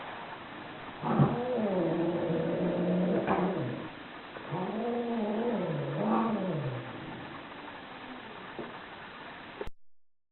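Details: Angry domestic cat yowling in long, low, wavering growl-like moans that rise and fall, two drawn-out bouts separated by a short pause, ending abruptly.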